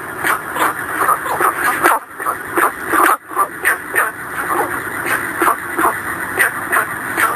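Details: Gunther's frog (Rana guentheri) calling at night at a reservoir in Hong Kong, giving rapid, repeated short barking notes over a steady high insect whine.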